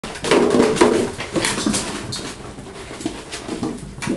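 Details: German Shorthaired Pointer puppies, 6.5 weeks old, from the Sophia and Diego litter, playing together indoors; brief low growling yips overlap in a busy tumble, then scuffling and soft thumps fill the small room.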